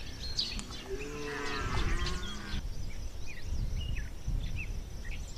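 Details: Red deer bellow in the rut at Chambord, France, September 2021: a brief falling, moaning roar of about two seconds, followed by scattered bird chirps over low rumbling background noise.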